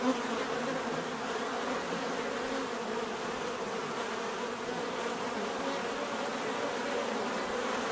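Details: Continuous buzzing of many bees in nature, a thick, unbroken drone of overlapping wingbeats holding steady throughout.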